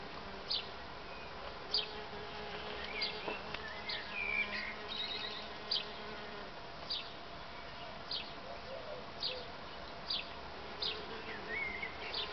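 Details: Many solitary bees active together, no mating. Their low continuous buzzing hum goes under repeated short ticks and an occasional thin bird note.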